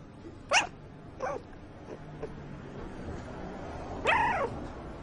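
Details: Sleeping puppy giving three short high whimpering squeaks, each sliding downward, spaced a second or more apart over a quiet background.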